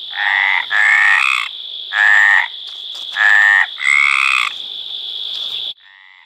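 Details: Hyla meridionalis, the Mediterranean tree frog, calling to mate: five drawn-out nasal croaks at an unhurried pace, a fainter trailing note at the end, and a constant thin high tone in the background.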